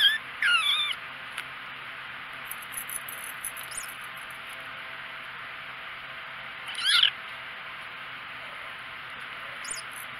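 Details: Four-week-old kittens; thin, high rising mews at the start and again near seven seconds, with a faint squeak near the end, over a steady background hiss.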